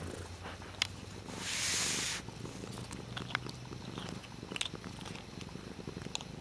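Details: Cat Dutchess at play with a water bottle lid, purring in a low rumble; a short hissing burst of noise interrupts early on, followed by quick scattered clicks.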